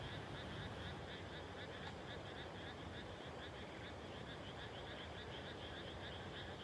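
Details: Frogs calling at dusk just after rice planting, 30 May 2021, in a countryside field: a dense chorus of rapid, evenly pulsed croaks repeating several times a second, in two bright bands, over a steady background rumble.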